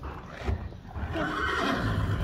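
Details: Friesian horse in a herd, reacting as a person crouches low and slowly approaches another horse; a broad, harmonic whinny swells from about one second in and holds steady to the end over low rumbling background noise.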